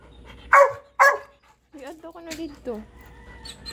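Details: Puppies in a home with three dogs, a Golden Retriever puppy and a Shih Tzu puppy who are friends: two sharp, loud barks half a second apart, then a run of wavering, whiny yelps with soft background noise.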